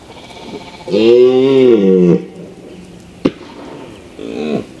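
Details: Mouflon, a wild sheep, bleating: one wavering, harmonic bleat about a second long, a sharp click, then a shorter bleat near the end.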